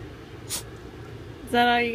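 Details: Jazz, a female Boston Terrier at home, voices her discontentment, frustrated when her owner isn't sitting on the couch with her: after a quiet room, a sudden loud, steady, tonal whine lasting about half a second closes the moment.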